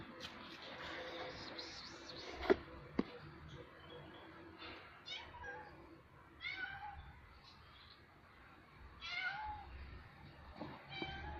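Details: A cat urinates and calls to attract females for mating: several short, wavering, rising and falling yowls spaced a few seconds apart, fairly quiet, with sharp clicks and knocks and a low background rumble.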